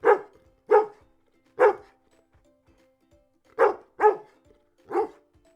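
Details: Six clipped barks from a dog, three in quick succession, then a pause of about two seconds before three more, over a soft, steady background tone.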